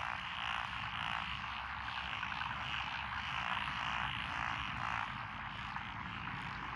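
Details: Frogs in lotus paddies near a country lane in Echizen, Fukui, Japan, 12 June 2021; a steady buzzing chorus of croaks with a low rumbling hum underneath.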